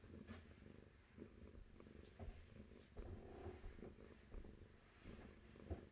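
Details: Domestic cat purring close up, a steady low rumbling throb that swells and fades in regular breathing cycles, with some low background rumble underneath.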